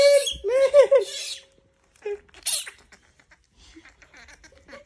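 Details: Monkey being bothered lets out two quick, wavering, shrill screams back to back, then falls mostly quiet with a few soft squeaks and light taps.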